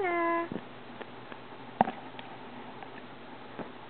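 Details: Ella, a Maine Coon cat, excited by birds seen in the driveway through a cellar window, gives one short, steady, tonal meow lasting about half a second at the start, then soft clicks and quiet indoor room noise follow.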